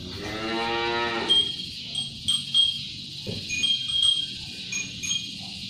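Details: Shod sapi londo cattle working as draught animals for a traditional pegon cart, the only one remaining in the district; a drawn-out, rich, harmonic moo opens the clip, followed by high ringing chime-like tones and clatter.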